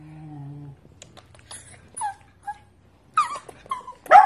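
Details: Pembroke Welsh Corgi puppies giving a few brief, high, thin yips and whimpers spaced through the recording, separated by near silence, with a faint low hum at the start.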